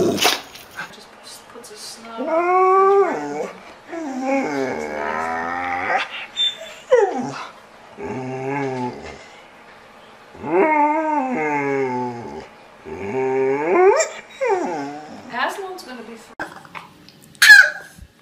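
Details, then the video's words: Pet dog 'talking': a run of wavering, whining howl-like phrases that swoop up and down in pitch, each lasting one to two seconds with short pauses between, and brief human voices in the gaps. "Talking Dog Videos Funny Talking Dogs"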